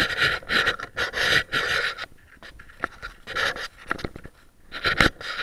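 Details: Boston Terrier burying a bone, recorded by an action cam mounted on the dog: rapid, breathy panting in bursts of about a second, separated by short quieter pauses and a few sharp clicks and scrapes.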